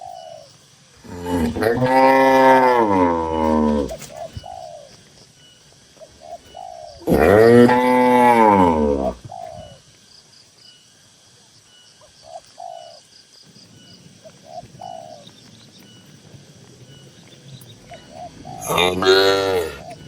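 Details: Tame cows kept in a barn with dozens of others give three loud, drawn-out moos, each rising then falling, spaced roughly five to eleven seconds apart, with faint chirping in the quiet gaps.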